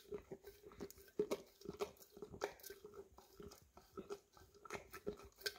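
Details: Wet, smacking licks from an English cream Golden Retriever working peanut butter out of a nearly empty jar, arriving in quick uneven clusters with brief pauses between them.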